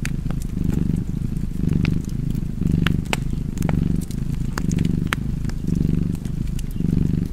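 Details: Rhythmic low purring of a cat, each breath cycle lasting about a second, over a steady scatter of crackling firewood.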